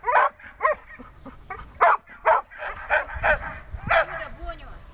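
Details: Dexter, a Siberian Husky in search and rescue training, barking and yipping irregularly in short bright bursts, with a human voice briefly audible alongside.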